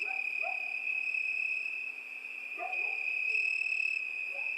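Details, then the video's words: Constant high-pitched cricket trill dominates throughout. Several brief, quiet, lower-pitched calls from another animal are scattered underneath, including a pair near the start and another later on. "Пение Сверчка"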